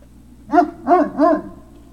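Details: Three evenly spaced, arched yelps from a Great Dane puppy at Puppy Hill, recorded on 03-06-2019 in the late afternoon. Each cry is short, tonal and rises then drops, roughly one every third of a second.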